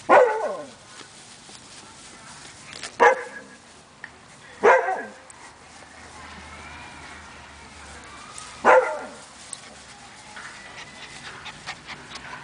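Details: Five-week-old Siberian Husky puppies playing outside; short sharp yips and barks burst out at about 0, 3, 4.7 and 8.7 seconds, with quieter whines and rustling between.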